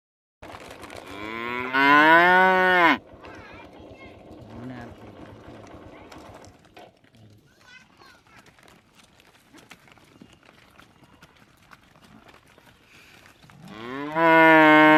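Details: Buffalo lowing twice, with deep, drawn-out moos that bend slightly in pitch, at the start and again at the end. A quieter stretch of murmuring background noise lies between them.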